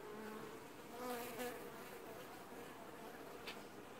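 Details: Honey bees washboarding at their apiary hive in early July 2019 give a soft, continuous buzz, with a couple of brief louder passes of single bees flying close.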